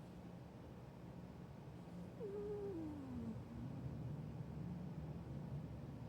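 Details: A tiger makes a weird, single drawn-out moaning call that slides steadily downward in pitch.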